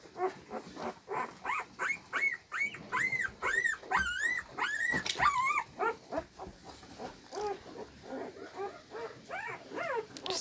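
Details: Molly, a pet husky as a puppy, gives a long run of high, arching whines and howl-like yelps, each sliding up then down, packed tightly one after another with short gaps, some rougher growly notes in between.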